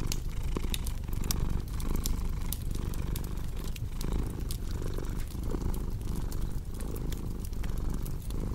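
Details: Domestic cat's rumbling purr, continuous and low, pulsing with rhythmic breathing about every second, while a cozy fireplace crackles and snaps with quick sharp pops above it.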